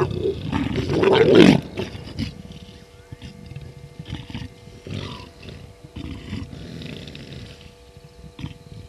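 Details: Wild leopards, a male and a new female mating pair, at Gowrie dam waterhole, Djuma Game Reserve, Sabi Sand, South Africa, at 02:06 on 10/07/19 by a live waterhole camera. A loud harsh snarling growl fills the first two seconds, then softer low grunts and rustling.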